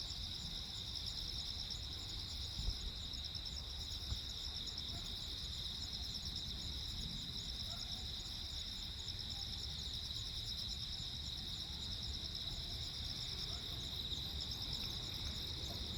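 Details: Crickets chirping on Jeju Island, South Korea, on 15 August 2024 during a lightning storm at night: a steady high-pitched pulsing trill in several layered bands, unbroken throughout, over a low rumbling background hiss.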